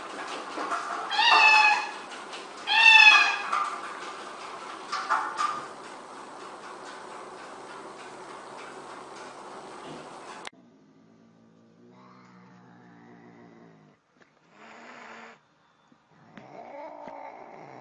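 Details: Domestic cat from a funny-cat compilation giving three loud, harmonic meows spaced about two seconds apart, then a long quieter stretch with faint, indistinct sounds and a few soft later calls.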